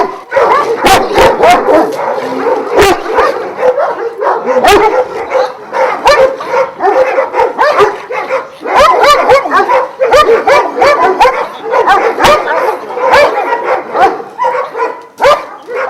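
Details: Twelve Šarplaninac dogs of Vujanski lineage at a kennel in Jasika near Kruševac, barking together in a dense, continuous chorus of overlapping deep and higher barks, with a few yelps mixed in throughout.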